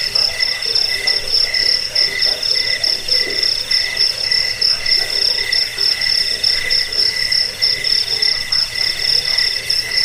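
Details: Chirping cricket used as a rat deterrent, sleep aid and bird-training recording; a bright, piercing pulsed trill runs without pause, its loudness rising and falling in uneven beats about once a second, accompanied by a softer lower buzz.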